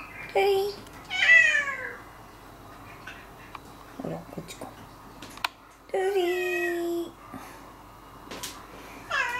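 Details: Domestic and stray cats around a house in spring, meowing in several harmonic-rich calls, some rising then falling, with pauses between and human speech heard in the background.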